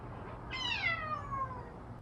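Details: Hoarse-voiced domestic cat, Odeuri, meowing indoors on the day after tooth extraction surgery: a single drawn-out meow about one and a half seconds long, strongly harmonic, starting high and sliding steadily downward, over a faint low hum.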